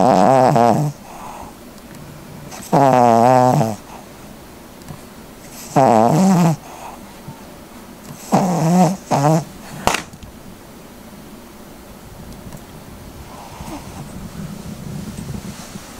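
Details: A Cavalier King Charles Spaniel snores loudly while asleep. Harsh, buzzy breaths rumble with layered harmonics and come roughly every two to three seconds. One breath is broken into a stuttering double snort, and a quieter stretch follows at the end.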